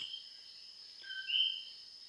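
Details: Common coquis call loudly at 2 a.m. in the Puerto Rican countryside, giving the two-note call, a lower 'co' jumping to a higher 'qui', over a steady night chorus.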